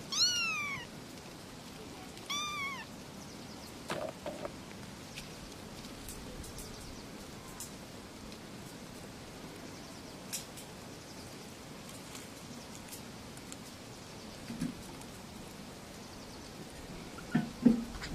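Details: Kittens meowing, from a litter of three little kittens: two clear falling meows in the first three seconds, then mostly quiet rustling and scattered clicks, with a brief louder knock near the end.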